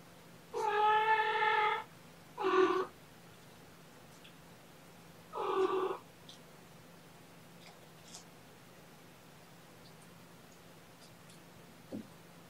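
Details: Kitten from a litter of four, transferred with mother Seraphina from a shelter in Lewis County, WA, playing indoors after wrestling a stuffed toy: a long harmonic meow, a brief second meow, then a third a few seconds later, with a quiet room between.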